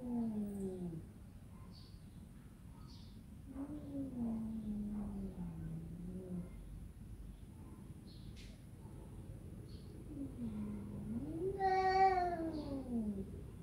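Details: Domestic cat making several soft, low meows separated by pauses, with faint clicks and rustles between them. The clip ends with a louder, wavering meow that bends up and then falls.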